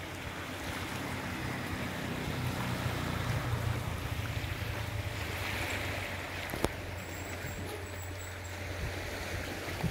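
Steady boat engine drone with water rushing past and wind, and a single sharp knock near the end; no animal calls.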